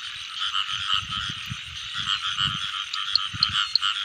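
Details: A rain-season frog chorus: a continuous buzzing wall of overlapping croaks, with a few brighter chirps standing out near the end over soft low rumbling knocks.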